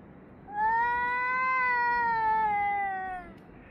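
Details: Cats yowling at each other on 3 Av 5785, 6:01–6:04 summer time: a single steady, drawn-out nasal wail lasting about three seconds, level in pitch and sliding slightly downward as it ends.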